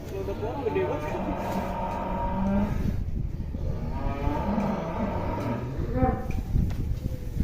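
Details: Giant fat cow mooing, low sustained lows partly buried under heavy rumbling background noise, with faint voices nearby.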